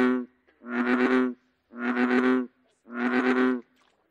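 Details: American bullfrog (Lithobates catesbeianus), call.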